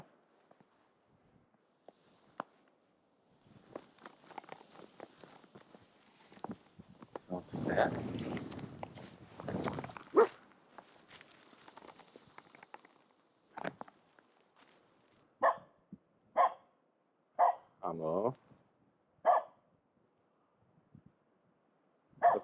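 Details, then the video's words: Finnish Spitz named Aamu barking at a pond for fun, possibly to relieve stress; after rustling, footsteps and faint voices, about six short, sharp barks ring out roughly a second apart. "Pond Barking"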